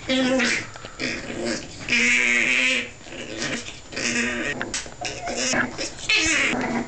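Staffordshire bull terrier puppies whining and yelping in short, high, strained bursts, with a voice nearby.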